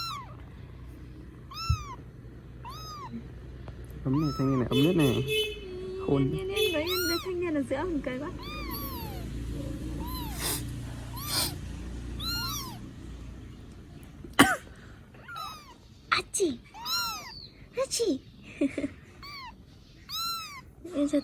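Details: Tiny rescued kittens cared for in Vietnam mew persistently throughout, a rapid overlapping chorus of short, high, bowed cries from several kittens, with a person murmuring softly in the background.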